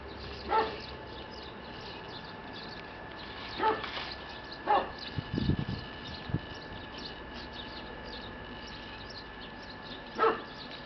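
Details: Red-coated male Shiba Inu puppy at a breeder's kennel gives brief, sharp, faint yips, one near the start, two close together mid-clip and one near the end, with a few low thumps and steady background hum.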